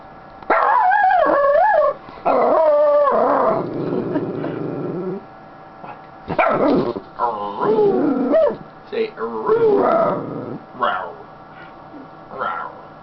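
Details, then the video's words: Happy female Schnauzer on her owner's lap making growling, talking sounds: warbling, wavering vocal moans rising and falling in bursts, broken by short pauses, with a woman speaking affectionately over the dog and laughing. "Sounds of a happy Schnauzer"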